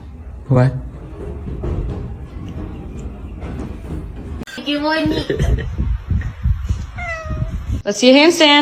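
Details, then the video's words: Pet cats filmed for a funny compilation, giving several bent, harmonic meows in quick succession over overlapping human chatter and faint music, with a loud, strained meow at the close. "funny cats talking"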